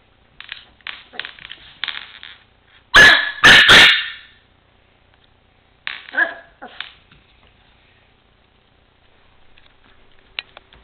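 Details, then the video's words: Mimi, a four-month-old Chihuahua puppy, barking while playing with a toy truck indoors: two loud, sharp barks in the middle, with softer yaps and scuffling before and after. "My Chihuahua puppy acting silly and barking."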